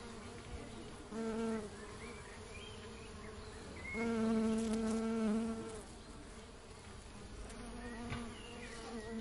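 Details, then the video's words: Honey bees building a honeycomb, buzzing in a low droning hum with a steady pitch. The hum swells louder twice, briefly near the second second and for longer between four and five and a half seconds, over a constant background hiss. "honey bee sound effect"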